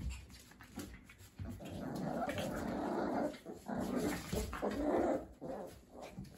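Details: Schapendoes puppies at Messy Hair Kennels, indoors in a small room; low rumbling growls and playful grumbles rise and fall in uneven bursts over several seconds, with faint background noise.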